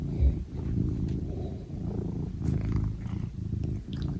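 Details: Domestic cat purring steadily, a low, rumbling, continuous vibration with a fast pulsing texture and soft rises and dips in loudness, close to the microphone.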